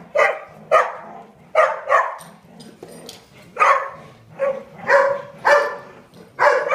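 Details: Dogs at a daycare, big side, barking in a busy chorus: repeated harsh barks, some paired, overlapping with quieter yips and background dogs.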